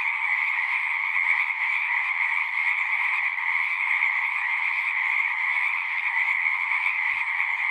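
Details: A dense chorus of many frogs singing together, a continuous overlapping trilling wall of sound with two steady bands, one high and one lower, and no gaps or other sounds.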